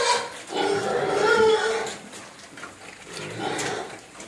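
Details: Pig crying from hunger, begging to be fed, gives a long wavering squeal followed by a shorter squeal a second later, with some background noise.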